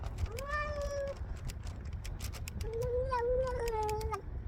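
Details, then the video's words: Stray cat meowing while eating food outdoors in cold weather: two drawn-out tonal meows, the first about half a second, the second longer with a wavering end, over low rumbling background noise and faint clicks. "야옹 야옹 울면서 사료먹는 길냥이"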